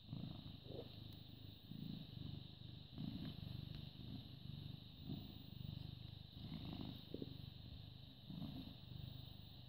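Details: A British Shorthair cat, born August 2010, purrs steadily on the morning of 14 May 2017; low vibrating rumble pulsing in regular waves roughly every one to one and a half seconds, with a steady hiss in the background.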